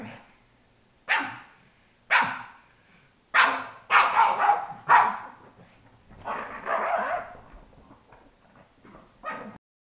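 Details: Pet female pug, one of two in the home, producing funny, gross noises: short loud snorting bursts repeated about once a second, then a longer rasping grumble and a final snort.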